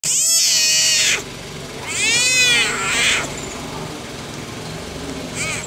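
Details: Leopard cubs giving two drawn-out, high, harmonic squealing mews about two seconds apart, with a brief third cry near the end, over a steady background hiss.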